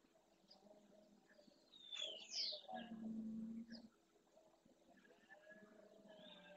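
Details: A red deer stag's roar at daybreak by the Francisco Bernis centre, Doñana, Andalusia, warning rival males off his harem: a deep, sustained bellow of about a second, preceded by high bird calls and quieter murmurs.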